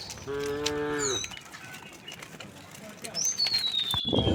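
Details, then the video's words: A tame cow in a herd of dozens walking a country road gives a short, rich moo of about one second, followed by a high, thin falling bird whistle and rustling footsteps. "Dozens of tame cows walked very happily, the sound of the cows mooing, echoing along the road"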